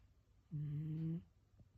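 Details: Gin, a black Shiba Inu, snoring like an old man during a daytime nap: one smooth, steady humming snore lasting under a second, low and even in tone, in a quiet room.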